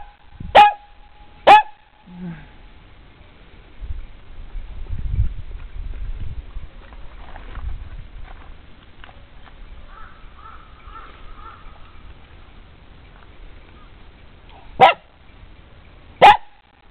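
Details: A domestic dog barks repeatedly while being coaxed to sit for a treat. Two sharp barks open the recording, then a long quiet stretch with faint household sounds, then two more barks near the end.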